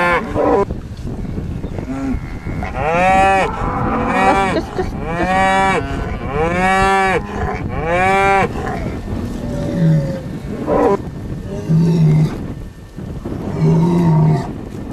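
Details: On a Welsh Borders farm, a bull bellows in a run of five arching moos over several seconds, followed by quieter low grunts and a softer short call.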